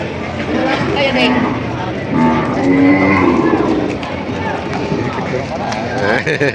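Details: Breeding cows and heifers at a cattle market auction in Padre Garcia, Batangas, Philippines, on July 17, 2026: a long, low, steady moo rises mid-recording amid haggling buyers' voices and general market din.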